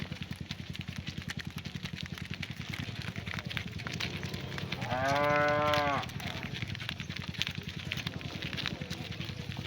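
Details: Single long moo from a cow calling to its herd as the cattle head home to the barn in the afternoon, rising out of a steady low engine-like rumble and outdoor noise.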